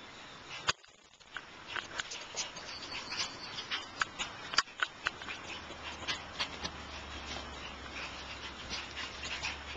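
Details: Shiba Inu puppies giving many short, high squeaky whimpers and yelps, overlapping and irregular, with sharper peaks around the fourth and fifth seconds over a low steady hum.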